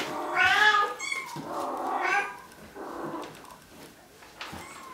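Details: Bengal kittens from three litters at Wildrose Bengals, aged about 5 and almost 8 weeks, crying in a short loud meow then a second drawn-out wail, with faint squeaks and room noise after.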